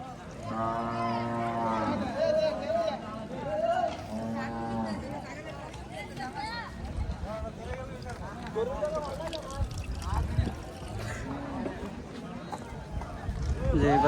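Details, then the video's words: Cattle at a cattle and goat market held on a primary school field, sunny day; a long low harmonic moo near the start and another around four seconds, with constant crowd chatter and voices throughout. "গরু ছাগলের হাট"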